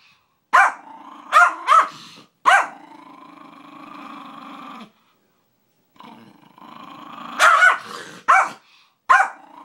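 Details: Sharp barks in quick bursts alternate with steady rumbling growls from Bailey, a household dog, with a brief silence midway before another cluster of three barks.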